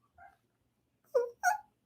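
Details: A male Shih Tzu answers after being called with little grunts: three brief, soft, nasal sounds within two seconds, the last two louder and close together, with otherwise quiet surroundings.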